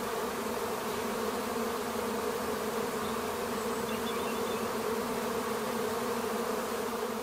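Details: A swarm of treatment-free Western honey bees around a garden hive fills the air with a steady, dense, low buzzing drone. Scouts appeared on May 11th and the swarm arrived over a week later, seen over breakfast.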